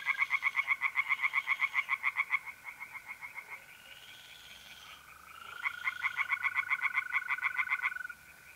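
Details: Night chorus of tree frogs in a pond, north-east Italy, mid-April: two loud bouts of quick, rhythmic pulsed croaks separated by a quieter gap, with mole crickets trilling steadily underneath.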